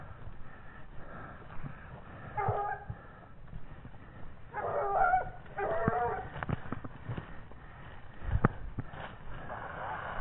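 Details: A 17-month-old Gascon Saintongeois hound tracking wild boar gives distant, drawn-out baying cries in several bursts, the loudest in the middle, while a man calls encouragement nearby amid rustling outdoor noise.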